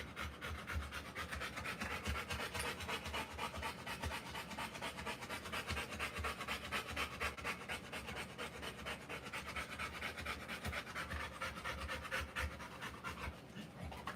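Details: Panting from a Rottweiler during the live birth of puppies, very fast, raspy and almost continuous: breathy hisses running without pause for about fourteen seconds.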